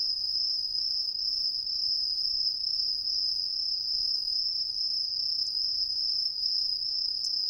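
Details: Green tree crickets in street trees of an Ehime residential district, Japan, heard from everywhere though hidden in the canopy: an unbroken, very high, steady metallic trill.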